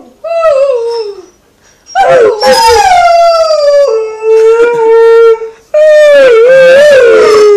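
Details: An Alaskan Malamute howls in long, wavering tones that slide down and rise again, joining people howling with it.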